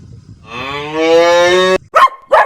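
A cow gives one drawn-out moo of about a second and a quarter, rich and harmonic, steady then slightly rising, followed by two short breathy snorts.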